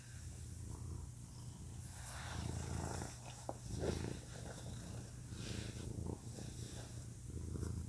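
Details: Male domestic cat purring, a real recording: a soft, continuous deep rumble with even pulsing, and faint rustling and breathy swells over it.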